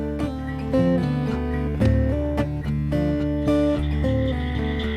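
Plucked guitar music with stepped bass notes and strummed chords, and no animal voice.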